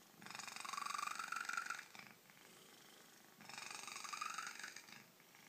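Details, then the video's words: Domestic cat purring very loudly, recorded close; two long breathy rasping bursts of about one and a half seconds each, separated by a quiet pause, with a faint tonal rising edge inside each burst. "Cat purrs very loud"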